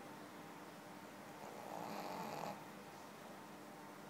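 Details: Sleeping Pekingese giving one soft, rough snore lasting about a second, a breathy rasp rising and fading against faint room hum.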